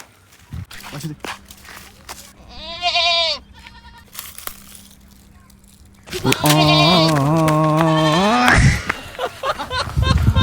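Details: Goat on a village farm giving a loud, wavering, harmonic bleat from about six to eight and a half seconds, preceded by a shorter quavering bleat near three seconds, with people talking and laughing around it.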